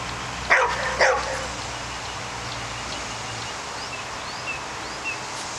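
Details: A pet dog outdoors confronting a groundhog that is getting the better of it: two sharp barks close together near the start, then steady background hiss with faint distant bird chirps.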